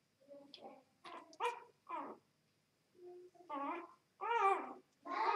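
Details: Two-day-old Vizsla x Labrador puppies, mother a Vizsla and father a Labrador, giving short high whining squeaks in bursts with brief pauses between, some calls wavering in pitch, indoors.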